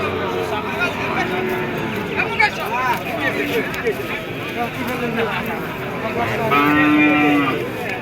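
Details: At a crowded cattle market where small bulls are for sale, a steady, fairly high bovine moo sounds near the end and holds for nearly a second. Many people talk and haggle throughout.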